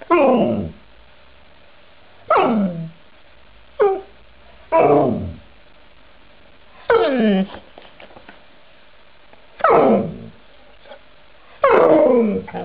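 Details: Dogs making 'talking' sounds, said to form words like 'mama': seven short whining, howl-like bursts, each sliding downward in pitch, arriving roughly every two seconds with quiet gaps between, indoors.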